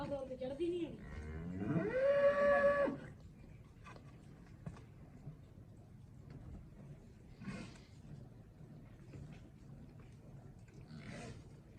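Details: Cholistani cross cow in Pakistan lows once, a harmonic moo that rises in pitch and holds for about two seconds, followed by low background noise and distant voices.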